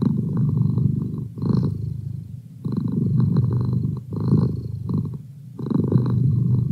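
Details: Purring of a house cat called Merlin, used as a study companion; a low, buzzing rumble in breath-paced bursts, about five pulses with short pauses between.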